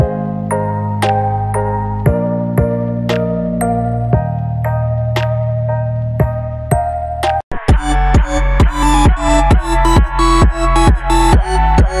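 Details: Electronic music: a soft plucked synth melody gives way to a pumping dance beat with heavy bass, and no animal sounds.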